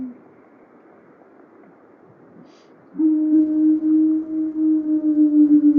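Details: A lone wild female gray wolf, recorded in or near Yellowstone, separated from her pack and seemingly trying to find them, gives a long, low, steady howl. She howled for 30 minutes, an hour after elk ran past, perhaps chased by wolves.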